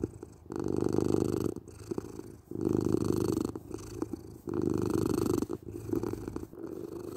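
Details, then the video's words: Loud close purring from a domestic cat, for sleep and relaxation, deep rumbling bursts swelling every one and a half to two seconds with brief quieter gaps between, in a calm indoor space. "Cat Purring"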